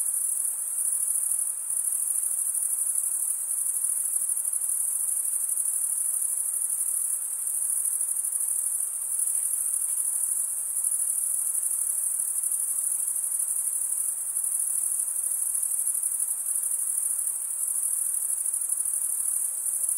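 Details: Crickets, males chirping by rubbing one wing's edge along a toothed vein on the other, keep up a dense, unbroken high-pitched shrill for the whole stretch, steady in loudness, with no other sounds.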